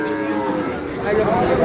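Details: Sahiwal bull calves for sale at Ambari cattle market in Dinajpur on 11 May, at the start of trading: a low, drawn-out harmonic moo swelling in the second half, over a crowd of voices bargaining.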